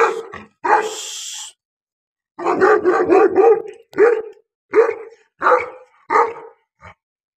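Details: Pakistani Bully dog, a Bully Kutta, barking deep and loud, with a single bark, a rough drawn-out burst, then a rapid cluster of barks followed by spaced single barks about every half to one second.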